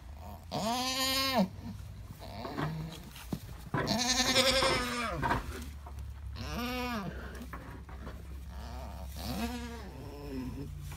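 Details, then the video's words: During labour with triplets, an Alpine goat gives loud, harmonic bleats lasting about a second each, four main calls with a shorter softer one between, over a constant low background hum. "Alpine Goat Giving Birth to Triplet Baby Goats"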